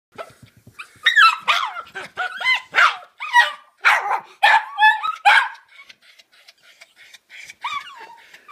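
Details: An 11-month-old Miniature Schnauzer, excited inside a bag when his owner gets home, gives a rapid run of high, squeaky yips and whines that trail off into softer whimpers.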